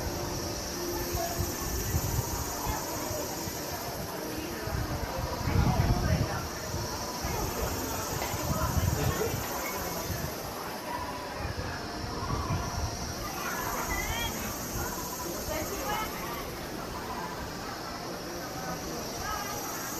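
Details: Kaempfer cicadas sing at Valas camping area one in Namasia, Kaohsiung, on 26 May 2018 at 16:56, recorded on a Canon PowerShot. A continuous high shrill drone swells and fades every few seconds, with low rumbling and occasional faint chirps beneath.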